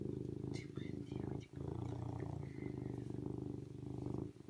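A serval purrs in a deep, steady rumble with brief pauses for breath.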